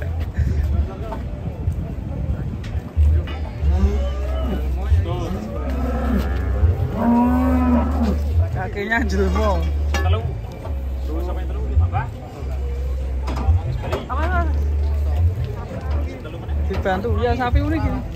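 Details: Frightened, agitated cattle being loaded onto a truck in Indonesia: a long, drawn-out moo in the middle, with shorter lows around it, over a steady deep rumble and scattered clattering and knocking.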